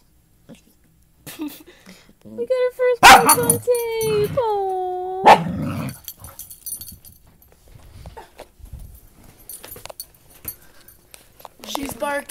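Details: Dachshund puppy barking for the first time while playing with a big mutt that teaches it to bark: high, squeaky harmonic yelps and drawn-out bending whines, then quieter scuffling and short yips, with people talking over it.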